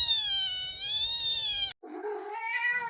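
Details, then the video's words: Orange pet cat "talking" indoors: a loud, sustained wailing meow lasting nearly two seconds, then after a brief break a lower, rougher meow that rises and falls. "My Cat Won't Stop Talking"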